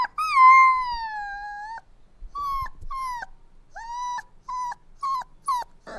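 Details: Puppy crying: a long, high, wavering whine that slowly falls in pitch, followed by a series of short, clipped whimpers, each bending up then down, with brief quiet gaps between them.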